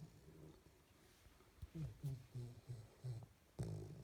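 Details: A 12-week-old female Springer Spaniel puppy, apparently dreaming, snores in low, rumbling bursts, each breath a short grunt about every half second.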